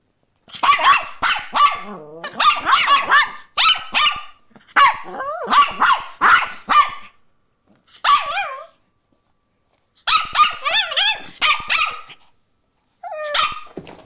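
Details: Excited Chorkie, a Chihuahua and Yorkshire Terrier mix, reacting to a new toy indoors with rapid bursts of sharp, high yappy barks, some breaking into short whining yelps, in clusters separated by brief pauses.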